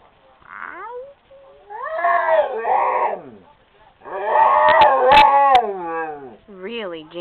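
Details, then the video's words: Female Rottweiler lying on a couch and 'singing': short wavering moans rise and fall, then a louder, broken, quavering howl with several bends, ending in a brief rising yelp-like note. "Rottweiler Singing A Song"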